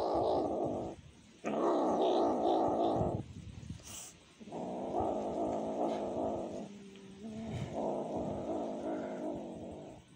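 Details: Hungry cat asking for food, giving sustained mournful wails lasting up to two seconds each, with a brief lower, wavering call in between and a short faint click.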